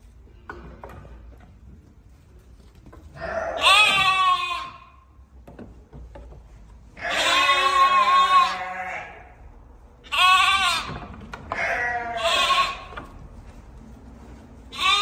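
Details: Weaned lamb separated from its mother, calling indoors: loud wavering bleats of about a second each, four main calls with gaps of several seconds, one cut off at the end, low room noise between.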